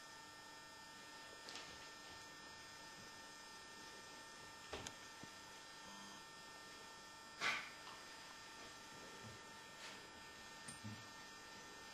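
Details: Quiet indoor electrical hum with a few scattered clicks and knocks, and no animal voice.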